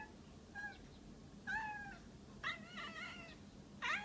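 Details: Pet cat at a window making odd noises toward something outside: a series of short, wavering, bending meows, some brief and chirpy, others longer and strained, spaced across a few seconds.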